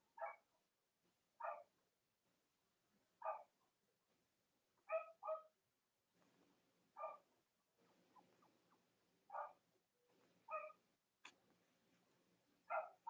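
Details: Cavalier King Charles Spaniel puppies on a split-screen live stream of mothers Robin and Myra's litters. Brief soft yips, single or doubled, roughly every one to two seconds, above a quiet low hum.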